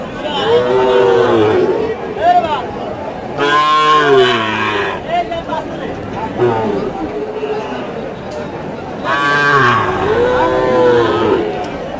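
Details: Bull calves of improved breed at Choubaria cattle market in Manda, Naogaon, 28 September 2018: three long, wavering moos roughly every four seconds, each swelling then fading, over steady crowd chatter and men's voices.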